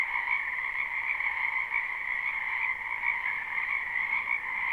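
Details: Live recording of a spring wetland full of croaking frogs: a brief span of dense, continuous trilling, high and steady, layered over a second lower band, with gentle pulsing in volume.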